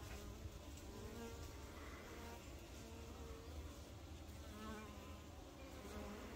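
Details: Many western honey bees (Apis mellifera) busy working hum together in a steady, droning wing buzz with a low, even pitch.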